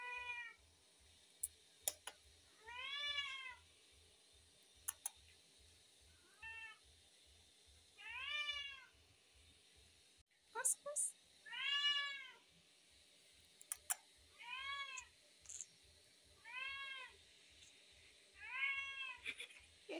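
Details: A tabby cat, hungry, calls again and again: about ten arched, tonal meows spaced every one to two seconds, some shorter and clipped, with sharp clicks between them and faint low rhythmic pulsing underneath.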